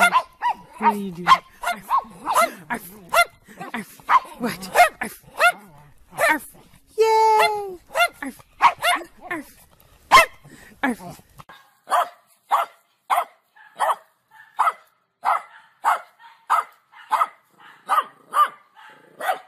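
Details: Funny compilation dog footage: human talk and mixed sounds at first, then a dog barking steadily, single crisp barks repeating roughly every half second to the end.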